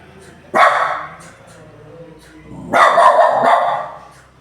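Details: Dog barking loudly: two harsh, drawn-out barks about two seconds apart, the second lasting over a second, over a quiet low background hum.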